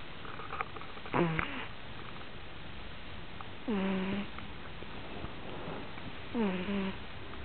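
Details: Sleeping puppy snoring indoors, three short squeaky, droning snores about every two and a half seconds, each breath with a buzzy, slightly wavering tone over a hissing background.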